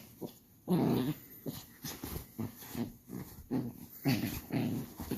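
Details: Indoors, an angry Shiba Inu puppy gives low rumbling growls with short huffing breaths, rising and falling in uneven pulses.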